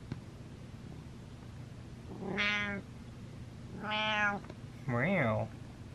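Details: Domestic cat named Butters meowing three times, each call a harmonic-rich tone about half a second long, the last one bending up and down, spaced roughly every 1.3 seconds over a quiet indoor background.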